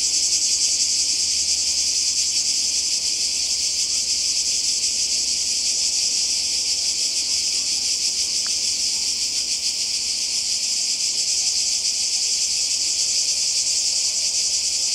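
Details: Summer chorus of cicadas on the Croatian coast, close to the sea, holding one unbroken shrill buzz for the whole stretch; a brief click sounds once midway.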